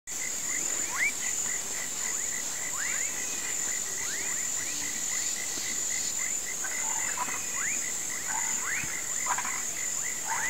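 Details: Toads and frogs croaking in a swamp at sunset, said to be calling for rain: rising whistled upsweeps repeated irregularly, with scattered broadband croaks late on, over a steady high insect drone and a pulsing mid-pitched trill.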